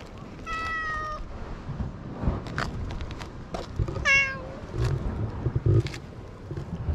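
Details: Stray island cat wandering in search of something and meeting a man; two clear meows, a flat sustained one then a rising-falling one about three seconds later, over low rumbling background noise and scattered clicks.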